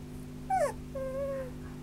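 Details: Whimpering from a Sheltie and Spitz mix dog: a short sharp downward-sliding yelp followed by a sustained, level, slightly wavering whine, with a steady low hum in the background.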